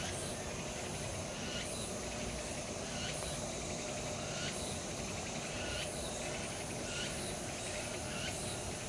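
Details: A dense chorus of cicadas in late summer at Changgyeonggung Palace woods, Seoul, South Korea, makes a steady, hissing buzz with faint pulsing swells every second or so.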